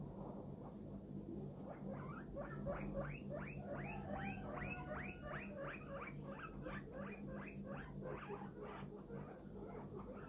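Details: Guinea pig named Poppi, kept as a pet and suffering from an eye infection, giving a run of short squeaky calls about three per second, each rising then falling, over a steady low hum.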